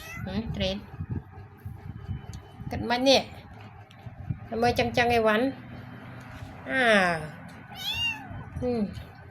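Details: Rescued black kitten meowing repeatedly in distress: a string of loud, harmonic cries, some curving upward, others sliding down, spread across the clip while people speak Khmer nearby.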